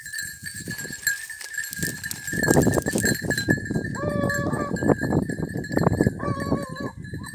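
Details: Basset hound and beagle pack in hare-hunting training in Cyprus: overlapping bursts of loud, ragged baying and yelping run almost continuously, with brief whistled two-tone notes near the end over a steady high buzzing drone.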